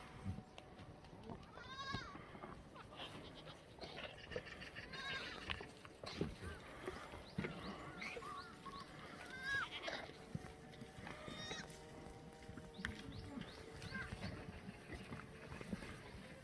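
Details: Free-range black goats in a farm exercise yard below Muchuksan, Sangdong-myeon, Gimhae, South Korea, on a clear Friday morning, 8 May 2020. Several short, wavering bleats come from more than one animal, with scattered knocks and rustling throughout.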